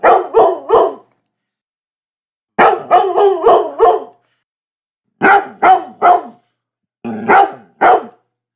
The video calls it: Labrador Barking Dog Sound Hd